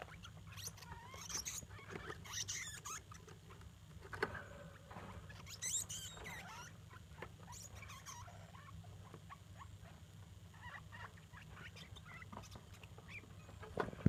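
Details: Mother degu and young daughters vocalizing to one another: clusters of high, thin squeaks and twittering chirps, busier in the first half, quieter later, against a constant low background hum.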